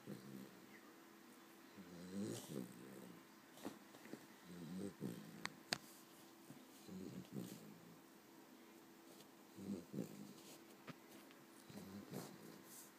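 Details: A female Cavalier King Charles Spaniel snores while resting after a long day, low rasping snores repeating roughly every two to three seconds, with faint clicks and room hum.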